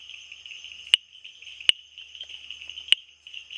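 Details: Typewriter frog, the Bombay bush frog, producing four crisp, isolated clicks spaced roughly a second apart against a continuous shrill buzzing background.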